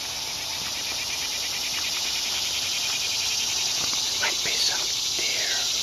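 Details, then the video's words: A loud, pulsing cicada chorus in the woods, a rapid throbbing buzz with no break, while a bird adds a few short whistled and sliding notes near the end. "Walking Through the Woods with Lulu Listening to the Cicadas"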